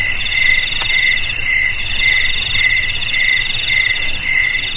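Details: Crickets, offered as a sound for driving rats away from homes, garages, storehouses and rice fields, produce steady rhythmic high chirps in layered bands, pulsing about twice per second, with a single sharp click and a low background hum.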